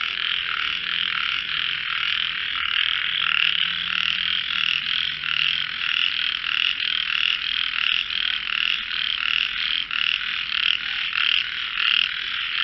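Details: Frogs singing in a melodious voice competition: a dense, steady chorus of pulsed, buzzy croaks overlapping continuously, with many callers trilling together at a fast, slightly uneven rhythm throughout.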